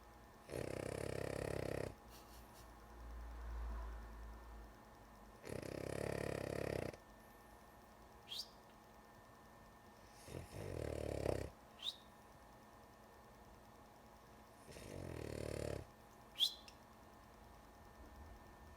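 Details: Sleepy female dog called Lulu snoring indoors, four harsh rattling snores spaced roughly four to five seconds apart, some long and some shorter, with small clicks and snorts between them.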